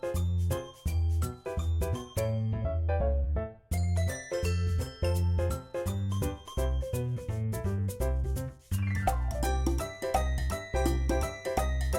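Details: Bright, chiming music-box style tune with steady bass notes fills the recording throughout.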